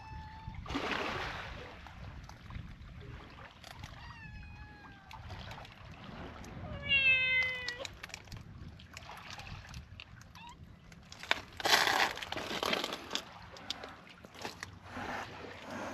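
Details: Free-roaming kittens described as angry approach a calico cat with a bob-cut look on a cat island with TNR volunteers in Japan; several short harmonic meows, some rising then falling, near four to eight seconds, amid rustling and handling noise.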